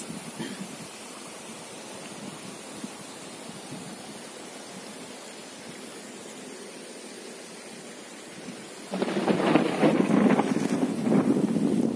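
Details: Steady low rumble and rustling give way to a sudden burst of heavy rain and thunder near the end, with no animal voices heard.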